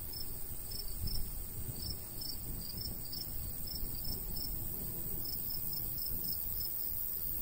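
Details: Cricket chirps in a summer countryside wheat field with a light breeze: high, short chirps come in uneven clusters with brief gaps, while a deep breezy rumble fills the background.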